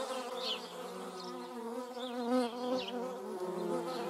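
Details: Short humming drone of a German wasp, with paper wasps also present: a buzzing tone with layered overtones that bends and wobbles in pitch, briefly louder midway, with a few faint high chirps.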